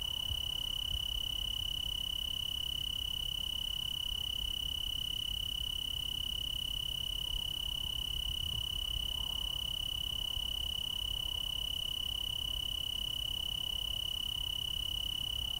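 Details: Tree cricket chorus from Oregon's Willamette Valley, a continuous shrill trill at a fixed high pitch that never pauses, with fainter higher overtones and low background rumble.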